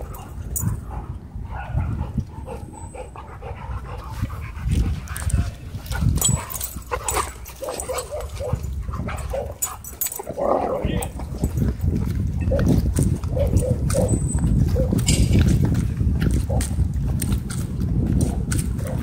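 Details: Several dogs turn aggressive at a dog park, trading dense, low, gruff barks and snarls at an irregular fast pace for about nineteen seconds, with scattered yips and background park noise.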